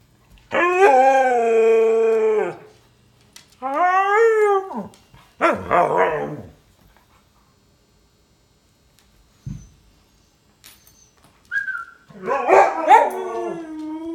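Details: Husky/Malamute mix dog awaiting adoption howls in drawn-out, richly harmonic notes separated by pauses, with a rough bark-like burst near the middle and a final wavering, rising-and-falling howl.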